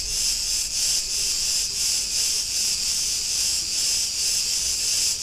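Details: Street recording in Ierapetra, Crete, Greece, of Cretan cicadas: a loud, sizzling high buzz that throbs gently in regular waves about every half second, otherwise clean.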